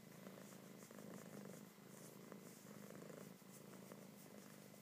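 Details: Loud purring from a kitten being petted and cuddled indoors: a steady low rumbling drone with a rhythmic pulse, swelling and easing roughly every second as the kitten breathes in and out.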